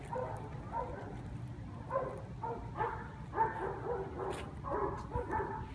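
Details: Red, a sensitive, playful Australian Cattle Dog awaiting adoption, whimpers in short breathy yips, clustered bursts coming roughly every half second to second over a low steady background hum.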